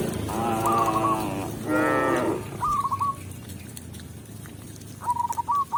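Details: Tame cows heading into their pen with a village shepherd: two full, rounded moos back to back, followed by light, repeated chirping bird trills over a quiet rural background.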